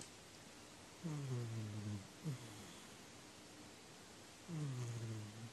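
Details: Domestic cat snoring, recorded 4 January 2019; low droning harmonic snores with falling pitch on slow breaths roughly three and a half seconds apart, plus a short faint one between, over steady background hiss.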